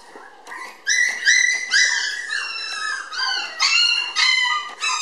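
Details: Red female Toy Poodle puppy, born 20 May, weighed 700 g when filmed indoors on 30 June; a series of clear, high, drawn-out whines, each about half a second and slightly falling, repeated in quick succession.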